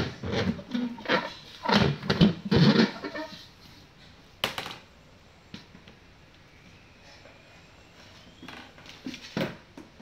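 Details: Cocker Spaniel named Coco at playtime gives a quick run of short, rough barks packed into the first three seconds. A sharp click follows, then a quieter stretch with faint knocks and one brief bark near the end.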